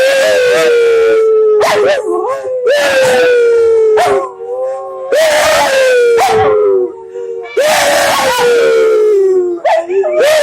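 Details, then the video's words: Dogs singing along, continuous overlapping howls sliding gradually downward, broken by sharp yips and barks roughly every second or two. "dogs singing"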